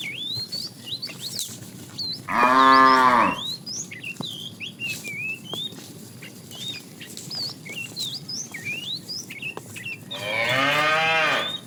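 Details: Tame cow being herded in the afternoon, a fat cow calling to a female: two harmonic-rich moos, one short near the start and a longer strained one at the end, with many chirping birds whistling throughout.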